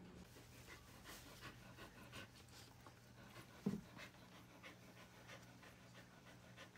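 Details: Dog during a whelping, with puppies being born, panting in quick, soft rhythmic breaths throughout, one brief louder rustle midway, steady low electrical hum beneath.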